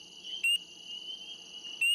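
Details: Spring peepers in Maine in spring, the smallest local frog, give short, clear, rising peeps about a second apart over a steady chorus.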